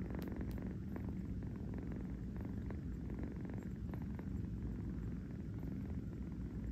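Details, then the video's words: Young cat purring while napping on a fuzzy bed in New York; a deep, constant vibrating rumble runs the whole way, dotted with a few soft clicks and light rustles. "a kitten purring on a fuzzy bed"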